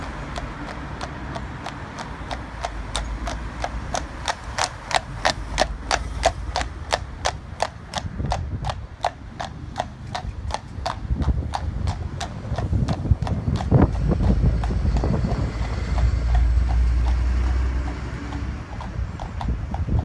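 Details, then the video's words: A Friesian mare hacking out, described as bomb proof, walking with sharp regular clip-clop hoofbeats, about three per second, at a steady rhythm, then fading into low rumbling wind or traffic-like noise toward the end. "Bomb Proof Friesian Mare - hacking out"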